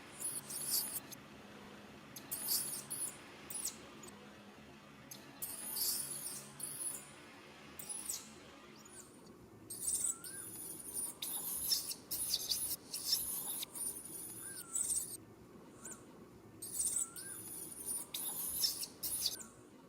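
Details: Monkey; distress call; infant calling its mother for help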